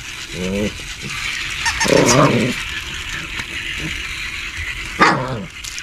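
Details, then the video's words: Shih Tzu giving a handful of short, hoarse barks, one at the start, one louder after about two seconds and a sharp one near the end, over a constant hissing background. "Shih Tzu Barking And Growling"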